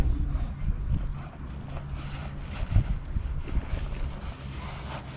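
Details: Gusty wind buffets the microphone on a waterside wharf, with low rumbling and no animal calls.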